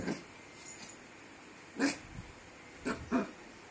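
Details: A puppy gives a few short, faint yips and barks spread over a few seconds, while people talk quietly in Bengali in a small room.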